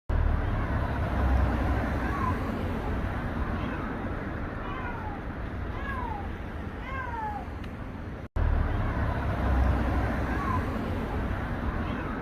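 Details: A stray tuxedo street cat on a busy walkway cries with plaintive, falling meows a second or two apart over heavy traffic rumble; the caretaker suspects it was hungry and waiting.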